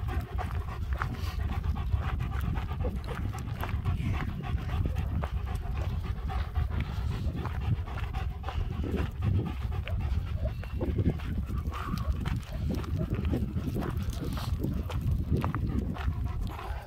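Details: Two German Shepherds, Nico and Zeeva, pant steadily while out walking near Hawick in spring with lambs nearby, recorded on a Samsung S23 Ultra; rapid breathy rasps repeat over a constant low rumble of wind and footsteps.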